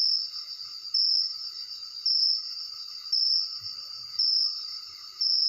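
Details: Crickets calling at night, phone recording: shrill, steady chirping with a strong pulse repeating about once per second, each burst trailing off before the next, over a constant background insect hum.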